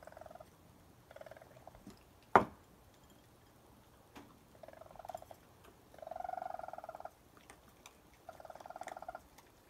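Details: Raccoons, a mother with her young, wild, feeding on a porch around 1 am at night: short bursts of soft chirping chatter repeated every couple of seconds, with one sharp knock and light rustling between them.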